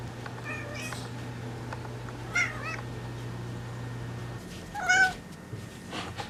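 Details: Pet cat giving short, sharp meows indoors, one near the middle and a louder bent one toward the end, with a soft earlier mew and a low steady hum that stops partway.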